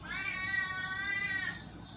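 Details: Female pet cat doing her "ghost" meow for her human, a long, steady, tonal wail lasting over a second with many stacked harmonics, ending in a slight fall; quiet room with a woman talking softly around it.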